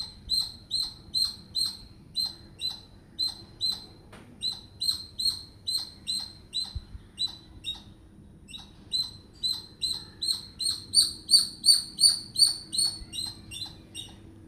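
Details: Squirrel chattering while communicating: a long run of sharp, high-pitched chirps repeated about two to three times per second, steady at first and growing louder and brighter toward the end, over a faint low hum.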